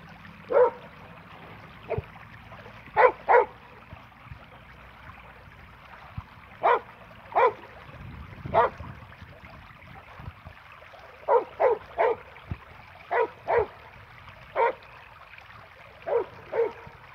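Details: Happy, a Border Collie dog, plays his favourite ball game alone with a tennis ball; short, sharp barks and yips come singly or in quick pairs, about fourteen over the stretch, separated by quiet pauses with faint background rumble.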